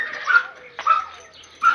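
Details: Oscar, a red-nose pit bull, during a mating meeting with the chocolate red-nose dog Müdür; three short, high, tonal yelps or whining barks, each breaking off quickly, with quiet gaps between them.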